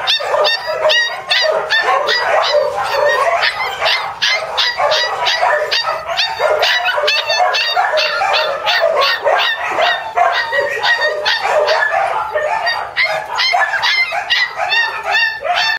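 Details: Several Border Collie puppies, brothers from one litter, in a continuous chorus of shrill yips and squeaky barks, dense and overlapping and repeated several times each second without a break.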